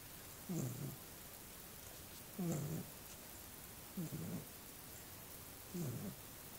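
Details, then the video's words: Small pet dog sleeping, giving low rasping snores with a brief whistled edge, four snores spaced about one and a half to two seconds apart, with faint hiss between breaths. "Snoring Dog"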